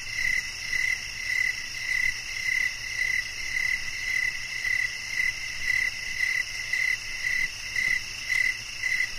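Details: Rhythmic cricket chirps repeat a little under twice per second, each a brief clear pulse, with a continuous shimmering background drone of other insects.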